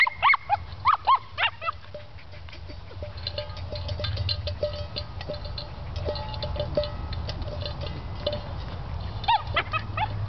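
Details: A male Cairn Terrier playing with his water pan, which he is obsessed with, gives a quick burst of four or five high, yelping barks, then a lull of metallic clinks and rattling before two more yelps near the end.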